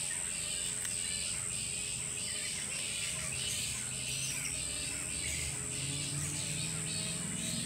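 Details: Bats crowding every tree of a tropical park on Australia's Sunshine Coast, Queensland, a colony of perhaps a thousand; raucous high chattering comes in uneven surges roughly every second, layered over a steady shrill hiss and low rumble.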